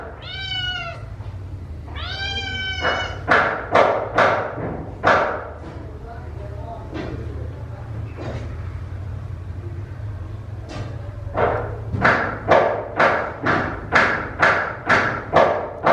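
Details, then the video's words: Rescued kittens meowing around feeding time, with loud descending meows early on, then a long series of sharp, evenly repeated clicking and smacking eating sounds, and a voice faintly in the background. "子猫の鳴き声、ごはんを食べる子猫！ うるさい音 【子猫 保護】Kittens meowing"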